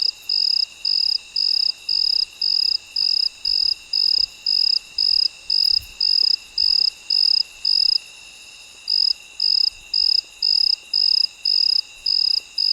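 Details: Cricket chirping at midnight. It gives high, clipped pulses at an even pace of about two a second, with a single short pause partway through. A steady high insect hum continues underneath.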